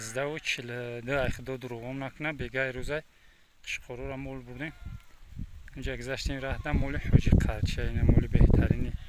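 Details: Hissar sheep rams, a breed praised as very good, giving wavering, harmonic-rich bleats for about three seconds, then more bleats mixed with rustling, handling noise and people talking nearby.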